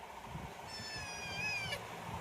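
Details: Kitten giving a single drawn-out meow of about one second, steady and slightly wavering before breaking off abruptly, over a low background rumble with voices nearby.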